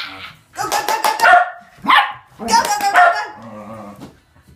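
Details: Two Shetland Sheepdogs, tricolor Sky and blue merle Trevor, running and chasing each other: bursts of sharp, harmonic barks in two quick clusters with a short yelp between, a person's voice mixed in.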